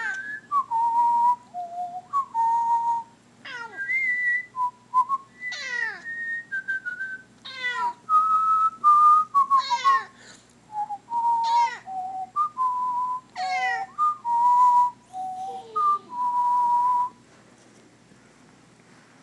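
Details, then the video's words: Indoor female cat answering a person's whistled Star Wars bad-guy theme, either irritated or singing along. Repeated wavering meows sweep downward among loud whistled tones, with about a dozen cries before the whistling stops and quiet follows. "Cat is irritated when I whistle Star Wars music...or is singing along"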